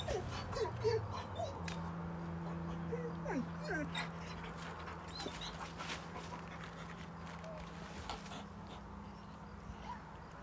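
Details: Female dog Jay, impatient and trying to get away from the male dog Tegu who wants to play, gives short high whines and yips, some rising then falling, over a steady low hum and soft background noise.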